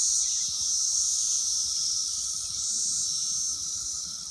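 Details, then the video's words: Many Brood X periodical cicadas singing on an apple tree on June 6th: a loud, steady, hissing high-pitched drone that swells slightly and fades, with no pauses throughout. "Brood X cicadas singing on my apple tree"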